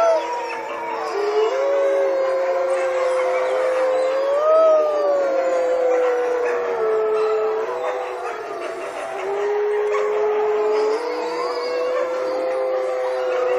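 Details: Group of wolves howling at Olomouc on 29 August 2013: a continuous, loud chorus of overlapping drawn-out howls, voices bending up and down and crossing each other, with a lower steady tone running underneath.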